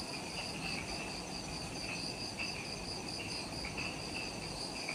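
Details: Forest insects on Ishigaki Island, Okinawa, Japan, at dusk just after sunset: sustained high trilling with rhythmic pulsed chirps at a middle pitch repeating across the clip, over a low ambient hum.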